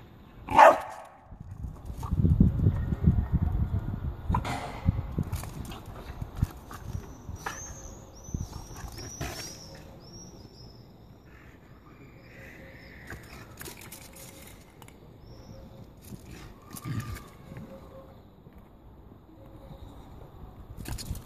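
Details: Staffordshire Bull Terrier attacking a Pokéball toy; a sharp bark opens, then a rough low growl runs for several seconds, followed by thin high squeaks, scuffling, and quieter growling.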